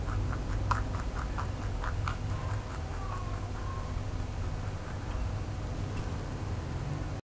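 A rabbit gnaws on a carrot, making rapid, dry crunching clicks in short bursts, busiest in the first two seconds. A constant low hum runs underneath throughout.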